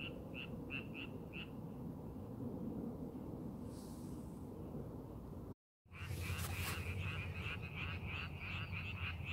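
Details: Frogs in rice paddies under preparation for farming, amid scenic countryside; a few pulsed croaks early, a brief silent break, then a denser run of rapid repeated croaks over a strong low background rumble.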